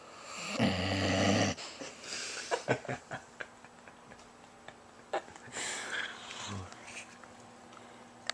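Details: Willow the bloodhound snoring indoors: one deep, buzzy, droning snore opens the recording, followed by soft clicks, breathy rasps and small room noises.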